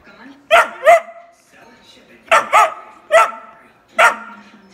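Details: Vocal whippet pup complaining that his sister has all the toys: sharp, high yelping cries in quick pairs and singles, about six bursts over five seconds, in a quiet indoor room.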